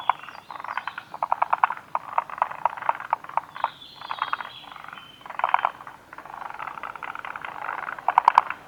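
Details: Forest green tree frogs calling at Kawaguchiko Field Center, Japan, on 2 June 2019: bursts of rapid, rattling pulsed croaks, several callers overlapping, with brief pauses between runs and a sharp clicking flurry near the end.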